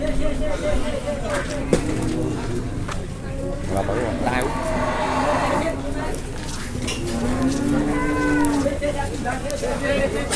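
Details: Cattle turning wild at a market in 2021 while being weighed: low drawn-out moos rise over heavy crowd noise and voices, with a sliding bellow late in the recording.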